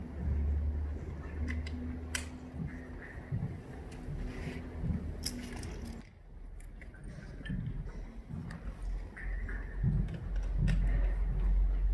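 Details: Low steady mechanical hum with scattered clicks, knocks and a brief hush midway; no animal call heard.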